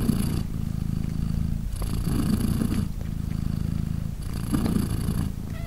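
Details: British Shorthair cat Polina, mother of three three-day-old kittens, purring as they nurse; low vibrating purr in cycles of roughly two to three seconds, alternating breathy inhale with smoother rumble.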